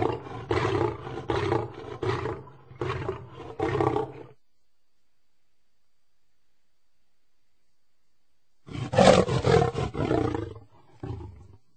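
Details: Lion roaring in a run of deep, rough bursts about every half second for four seconds, then silence, then a second heavy, grunting roar sequence fading out.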